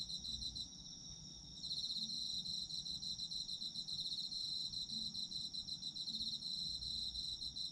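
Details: Night chorus of autumn insects: a steady high ringing tone joined after a quiet start by fast, beaded chirping trills that carry on to the end, with soft low rumble below.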